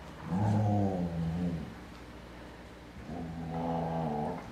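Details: Playful tug game between a twelve-week-old Airedale Terrier puppy and a four-year-old bigger dog; two drawn-out harmonic growling whines, the first about a second and a half, the second rising after a quiet gap.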